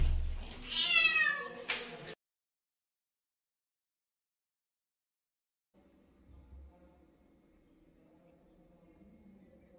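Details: Chloe, a mother cat guarding her kittens from the other household animals and kept with them in a closed room, gives a loud harmonic meow in the first two seconds; then silence, then faint low room noise.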